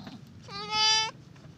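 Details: A newborn goat kid gives a single high, nasal bleat lasting about half a second.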